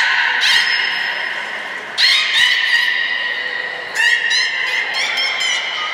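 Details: Beluga named Nana during a training session at Port of Nagoya Public Aquarium, 13 April 2019; three bursts of stacked, nasal squealing notes, each starting about two seconds apart and fading into a steady whine, with hall echo.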